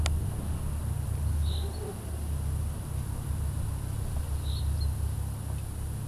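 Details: Red-tailed bumblebee (Bombus lapidarius) droning with a low, steady buzz made of stacked humming tones that waver slightly in pitch, with two short distant bird chirps and faint outdoor background noise.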